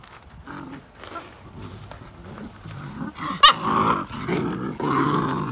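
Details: Belgian Malinois puppies, fifty days old, fighting in play over a single toy; quiet low growls build to louder snarling bursts and a sharp squeal near the middle, with rustling throughout.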